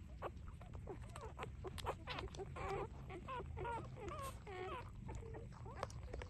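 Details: Newborn puppies, three days old, nursing; scattered short squeaks give way to a cluster of wavering, rising-and-falling whimpers midway, over a steady low rumble and faint rustling.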